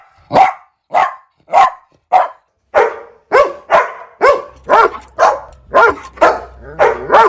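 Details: Steady series of high puppy yaps, nearly two per second, becoming slightly lower and fuller later, with a faint low hum underneath.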